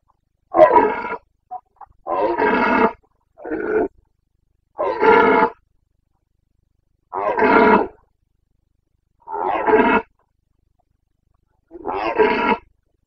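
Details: Boncănit, the autumn roaring of a Carpathian red deer stag in the Bucovina mountains, Romania, 29.09.2022: a loud series of seven harsh, drawn-out roars at irregular intervals of one to two seconds, nothing else audible.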